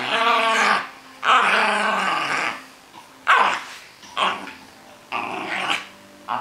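A Cairn Terrier gives harsh, growly barks and yaps in short bursts during play.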